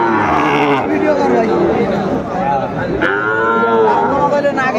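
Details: Sahiwal bull calves at a cattle market in Joypurhat, Bangladesh, on 17 August 2024; drawn-out, wavering moos rise and fall through loud crowd chatter and bargaining voices.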